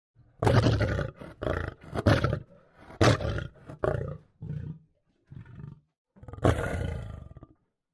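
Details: Lion roaring: a series of deep, heavy, grunting roars. The bursts start loud, grow shorter and quieter toward the middle, then a final strong roar follows after a pause.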